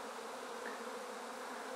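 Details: Swarming honey bees inside a swarm basket after removal from a tree, top bars just added. A continuous, even buzz with a low hum and layered harmonics, unbroken for under two seconds.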